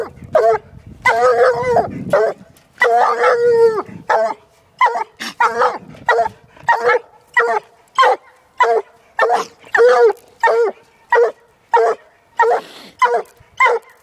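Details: Female Walker hound, one year old, on a caged coon, her second encounter with one. The first few bawls are long and ringing, then a fast run of short, sharp barks follows at a quick, fairly steady pace.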